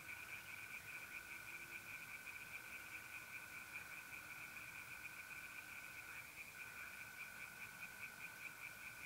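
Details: On an April night in north-eastern Italy, pond tree frogs form a far-off rapid pulsing chorus while mole crickets hold a continuous, even trill underneath.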